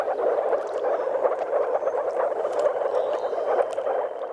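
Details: Courting moor frogs (Rana arvalis), with some common frogs, give soft bubbling calls like air escaping underwater at a spawning site in Mecklenburg-Vorpommern, Germany.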